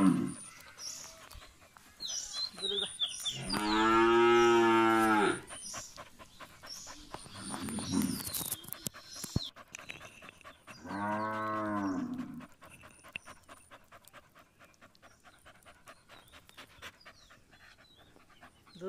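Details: Punganur cattle at milking time with a calf drinking milk: two drawn-out, rich moos, the first lasting about two seconds, the second shorter some six seconds later, between stretches of quiet clicking and farm noise.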